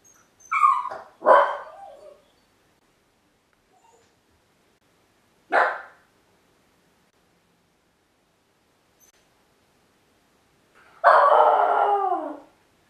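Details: First time home alone outside the kennel, Miniature Pinscher YLVA gives scattered, quieter barks between long silences. The clip ends on a drawn-out bark that slides down into a whine.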